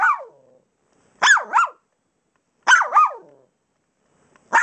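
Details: Playful pups barking on bed pillows. Quick paired yaps, each a bright rising-then-falling bark, repeat roughly every one and a half seconds in an otherwise quiet room.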